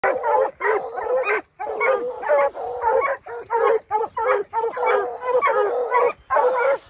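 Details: Hunting hounds in spring, baying in a dense chorus: loud, hoarse, overlapping bays and barks from several dogs in rapid bursts with only brief gaps.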